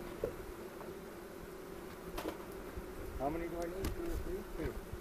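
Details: Honey bees at an April 27, 2018 hive inspection in a bee yard in the foothills near Cochrane, filmed with a 360 camera: a steady low droning hum runs throughout, broken by brief human voices and handling noises.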